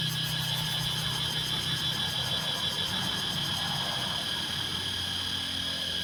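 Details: Cicadas in Laos drone in a loud, steady, high-pitched buzz that runs unbroken, with a low engine-like hum beneath.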